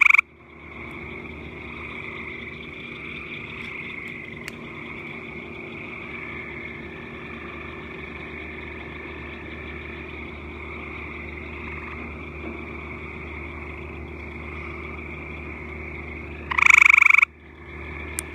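A frog gives a steady, high, rapidly pulsed trill that runs almost without a break.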